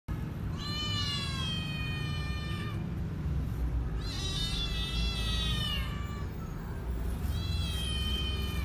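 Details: Hungry kittens making very loud noise: three long, drawn-out meows, each rising then gently falling, spaced by short pauses, over a constant low rumble.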